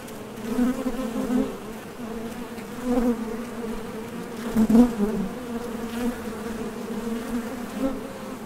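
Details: Honey bees flying in and out of a Top Bar Hive entrance on nectar trips, their thoracic muscles producing a steady low droning hum that rises in short surges as bees pass nearby.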